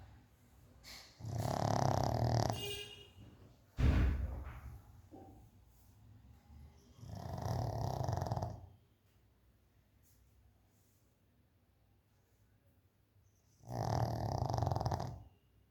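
A pug snores in loud, rasping, low breaths, with long quiet gaps between them.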